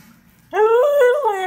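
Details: Samoyed dog that talks a lot every day, answering its owner with a sudden, loud, tuneful vocalization that climbs and wobbles up and down in pitch like a sung yowl, held for about a second indoors.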